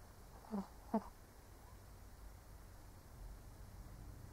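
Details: Sleeping elderly Shih Tzu makes a pair of brief, nasal snorts close together near the start, then only faint breathing and low room hum for the remaining seconds.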